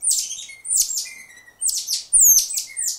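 A tamarin gives shrill, high chirps that sweep downward, about five in three seconds, with a faint lower trill under some notes.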